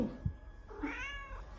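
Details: Pet cat Charlie Chaplin responding in its own cat language while being addressed indoors: a clear meow lasting most of a second, with a rising then level tone, preceded by a soft thump.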